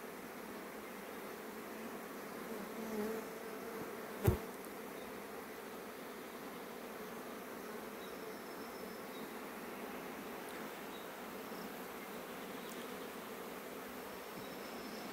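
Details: Honey bees returning in haste to their hive shortly before rain, a sustained hum of many wings, a few individual bees buzzing by, and one sharp click partway through.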